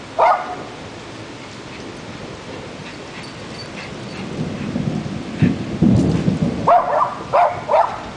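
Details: Jack Russell Terrier Murphy, a shop watch dog, answers a thunderstorm. Rain and a low rolling rumble of thunder fill most of the recording, with a single bark at the start and a quick run of three barks near the end.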